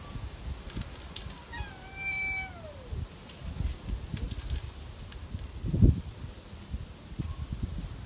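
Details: Cat outdoors on a windy late afternoon; a thin, high meow that slides downward and fades over about a second and a half, with gusting wind rumble and a dull thump later.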